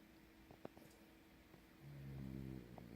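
A sleeping French bulldog gives a deep, rumbling snore that swells in the latter half.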